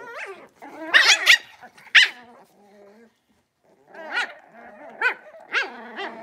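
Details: Young blenheim Cavalier King Charles Spaniel puppies from a litter of five, in their new big pen: a tumble of squeaky barks and yelps, a loud cluster early, then a pause before more high yaps and whines.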